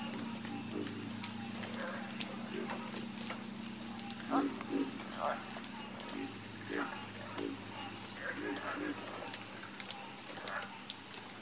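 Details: Frogs croaking in a calm night chorus; short, low, throaty calls pop up irregularly, some in quick pairs, over a steady high insect drone that never stops.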